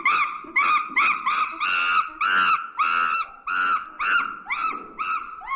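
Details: Monkey screeching in a rapid series of about a dozen harsh, loud calls, each with a sharp onset and a slightly falling or rising tone, delivered roughly twice per second with brief gaps between them.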